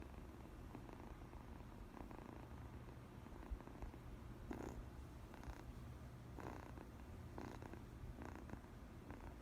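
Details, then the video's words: Domestic cat's first purr, recorded indoors: a steady low rumbling purr throughout, with soft clicking and rustling bursts at intervals. "로엘이 첫 골골솔"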